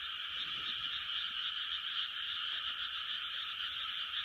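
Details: Steady 2020 frog chorus: massed croaking blends into one even, high, buzzing band with no pauses, the loudness almost flat from start to finish.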